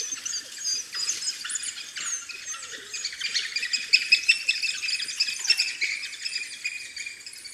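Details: High-pitched chatter of African wild dog puppies at their den, with dense squeaks, chirps and short squeals overlapping continuously, loud and close, with rapid uneven bursts and no low sounds.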